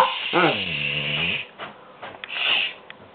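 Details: A pet dog named Skooter, refusing to be quiet while talking back, lets out a drawn-out, wavering groan that dips and rises over about a second, followed by a woman's scolding voice in a small room.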